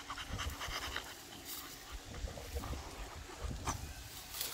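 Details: Beagle out on a morning walk, male, giving soft rapid panting breaths, a rough airy huffing mixed with low thumps and rustles close to the ground.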